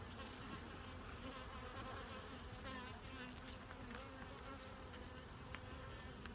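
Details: Honey bee hive under inspection for brood and general maintenance. A dense, continuous buzzing hum fills the recording, rich and steady with a faint rustle over it and occasional light taps.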